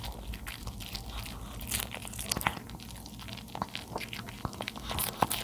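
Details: Charlie, a 13-year-old male dog, chews napa cabbage indoors. Steady, fine crackling and crunching continues throughout, with a few louder snaps rising above the softer chewing.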